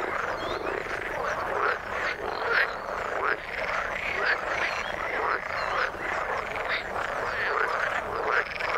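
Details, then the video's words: A wall of frog croaks from the water, with short high chirps rising out of the chorus roughly every half second to second. "Frog sound in the water"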